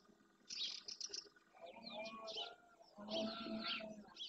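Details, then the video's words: Red deer stag in Doñana National Park marshland, Andalusia, Spain, at dawn during the rut, courting hinds near the Francisco Bernis centre. Low, harsh roars in two bursts, the longer near the end, with bright chirping birds throughout. "Berrea al amanecer"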